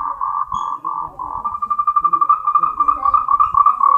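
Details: Moltrecht's green tree frog (Rhacophorus moltrechti), a species endemic to Taiwan, gives its mating call, a fast run of mid-pitched clucking notes.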